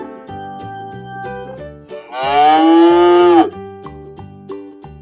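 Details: Cow on a farm giving one long harmonic moo of about a second and a half, steady then dipping at the end, over cheerful children's background music.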